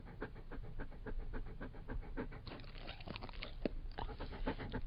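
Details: Labrador Retriever breathing in quick pants mixed with crunching, chewing-like noises, the rhythm loosening halfway as the mouth sounds take over.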